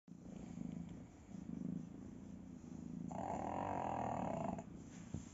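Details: Pug sound asleep and snoring: a fast rattling purr-like rhythm of about four pulses per second, low and steady, swelling into a louder nasal wheezing stretch lasting over a second.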